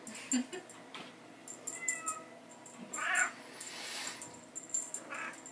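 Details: Bengal kittens at play with their mother in a hallway, chasing a teaser; a short soft meow mid-clip and a fainter one near the end amid scratching, ticking toy noises.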